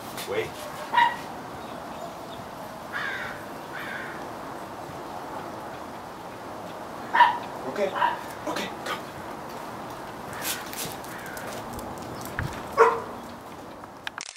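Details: Five-month-old female Doberman Dakoda, in trick training in Temecula, CA, gives single short barks on cue "speak", spaced several seconds apart, amid a woman's spoken commands and praise in a room.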